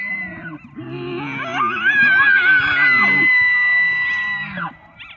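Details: An elk bugles, a rising squealing whistle held high, then dropping away over low grunting tones; a mating-season call given only in fall, recorded by the National Park Service.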